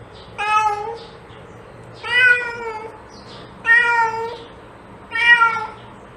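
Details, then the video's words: Cat meowing, a sound meant to attract cats: four drawn-out harmonic meows, each about a second long, spaced roughly every one and a half seconds, with a faint low hum indoors. "Cat sound to attract cats"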